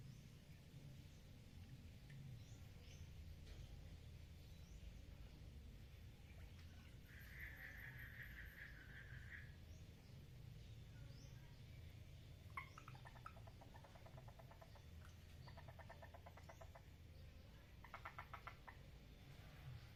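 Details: Mating frogs in a water lily pond trade several short pulsed trills, each a quick burst of clicks lasting one to two seconds and spaced irregularly, against a constant low background rumble.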